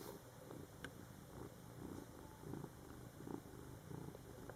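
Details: ['Cat purring beside a litter of Scottish Fold kittens in their first month, born July 22, 2012; a low, pulsing purr with uneven beats about every second, over quiet room noise.']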